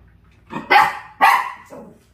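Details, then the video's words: A Dachshund reacting to a puppy stuck between air conditioners gives two loud, harsh barks about half a second apart, each a broad noisy burst. A faint low hum runs underneath. "에어컨 사이 낀 강아지를 본 닥스훈트 반응?"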